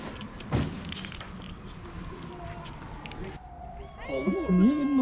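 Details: A hungry feral cat meows for food on a sidewalk after a woman's Turkish speech and a thump. It gives a loud, wavering meow with strong low harmonics, rising and falling.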